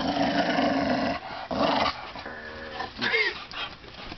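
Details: Dogs playing with laundry indoors, one giving a long rough growl with harmonic bands for over a second, a pause, then more growling and a short rising whine near the end, in a small room.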